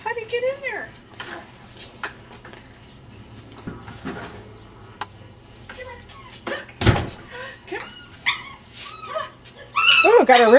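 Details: Ten-week-old Cardigan Welsh Corgi puppies yip and whimper in high, bending cries between stretches of conversation, ending in a loud burst of overlapping squeals; a thump sounds midway.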